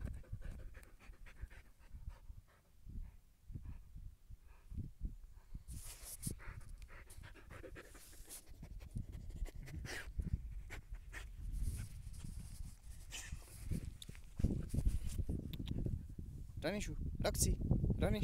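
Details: Siberian husky out on a calm walk, panting quickly and steadily at about three breaths a second, each breath a low breathy puff, with rustling and thudding footfalls that grow louder toward the end.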